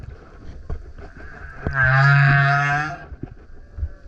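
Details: A male humpback whale singing loudly by a kayak lets out a single low, droning harmonic moan of about a second, framed by splashes and water noise.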